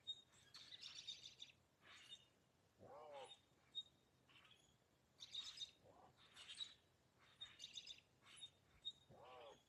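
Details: A female Eurasian lynx at a wildcat sanctuary on a sunny day gives short, hooting 'who' calls about every three seconds amid lively birdsong, a vocalization rarely caught.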